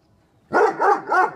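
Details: A Great Dane and a Rottweiler, two angry dogs, give three quick, loud, harsh barks in a row, evenly spaced within about a second.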